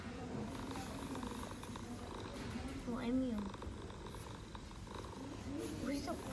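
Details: Stray mother cat in Istanbul purring to her kittens as they nurse: a steady, low rumbling purr runs throughout, with a brief rising chirp near the middle and a woman speaking Turkish over it.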